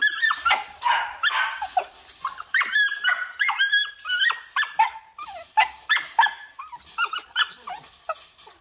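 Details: Female Belgian Malinois, a breeding and guard dog, whining insistently: high, wavering nasal whimpers and yelps repeated in quick succession, sometimes sliding up or down in pitch.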